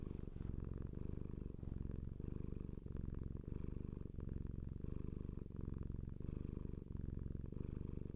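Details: Purring from Lola, a domestic cat: a deep, low rumble broken into clear rhythmic phases, inhale and exhale alternating about every 0.7 seconds, steady and close, with nothing else heard.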